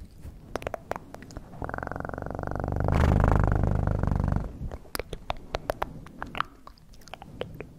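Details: Cat purr rising into a loud, close rumbling drone in the middle seconds, framed before and after by quick sharp clicking sounds and soft handling noise.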